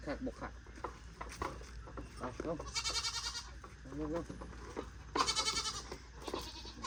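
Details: Bleating from a herd of goats, four more just purchased: two bright, strained bleats stand out about two seconds apart amid shuffling, fainter calls and a human voice.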